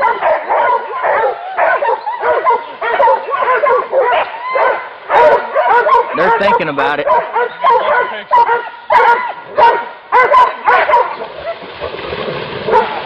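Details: Pack of hunting dogs in a fight with a wild boar, frantic yelps and barks tumbling over one another, with human voices mixed into the din.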